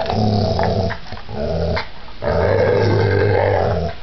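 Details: Pit bull growling in a violent attack; low throaty rumbling growls, one short burst followed by a longer sustained snarl.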